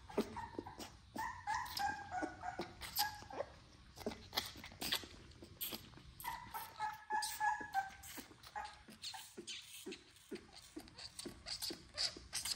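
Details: XL American Bully puppies, part of a litter of ten, being bottle fed indoors; thin high whimpering squeals rise and fall among rapid sucking and smacking clicks.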